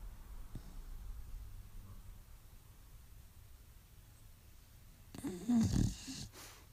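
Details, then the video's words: Roxy, a female Staffordshire Bull Terrier, asleep and having weird dreams; soft low rumbling snores, then a loud snorting burst about a second long near the end. "Funny snoring dog"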